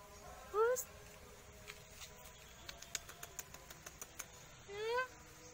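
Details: Black cat giving two short rising meows, one near the start and one near the end, with soft clicking taps in between in a quiet indoor setting.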